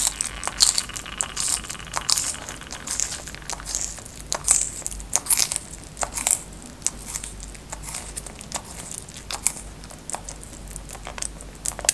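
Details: Close, crisp crunching and crinkling of food being chewed or crushed in a small room, with irregular sharp bursts.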